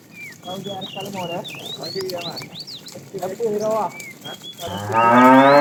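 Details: Tame cows herded in the morning, running happily toward a green pasture: a series of short, nasal, overlapping moos from several animals, ending in a louder, longer drawn-out moo, with high chirping birds throughout.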